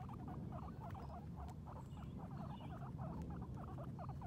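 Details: Sheik and Penny, two female guinea pigs outdoors for the first time, grazing on grass; steady stream of brief squeaky notes in quick succession, with a soft rumbling, crunching background.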